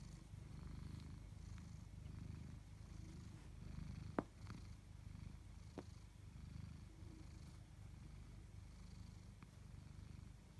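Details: Purring from a tabby house cat, Chloe or Koda: deep, even rumble held throughout, broken only by a couple of brief clicks near the middle, otherwise calm and quiet surroundings.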